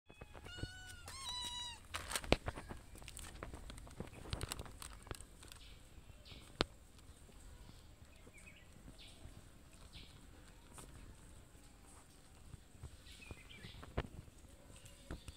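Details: Mother cat with a young kitten, fed twice a day at a house, meowing to ask for food: one drawn-out harmonic meow rising then falling near the start, then clicks, thumps and quiet outdoor background with faint chirps.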